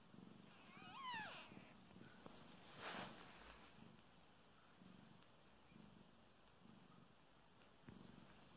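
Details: Soft, pulsing purr from a mother cat nursing kittens born nine hours before, during their first feeding. A thin, high, wavering kitten squeak sounds near the start, then a brief rustle, while the low rhythmic purring continues.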